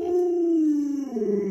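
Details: Luoluo, a pet Alaskan Malamute, reacts to its owner lying sick in bed with a clear, steady howl that slides slowly downward and then wavers, rich in overtones, with no other sounds.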